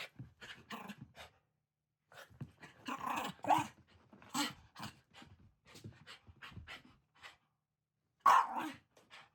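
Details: Shiba Inu named Ranmaru, just back from a walk, tackling family members disguised as oni at Setsubun and crying out loudly when a club is brought near; short grumbling barks and growls in bursts, with a loud sharp outburst near the end.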